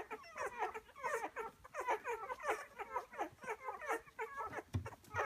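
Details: Rhodesian Ridgeback puppies aged ten days feeding at the milk bar, busily squeaking: quick chirpy whimpers overlapping throughout, ending in a few lower grunting snuffles.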